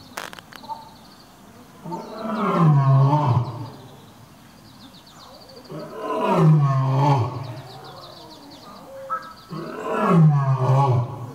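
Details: Captive lion at Toyohashi Zoo (Nonhoi Park), Japan, after sniffing another lion's scent and making a flehmen face; deep, moaning roars in three long bouts about four seconds apart, each swelling then sliding downward, with faint background voices.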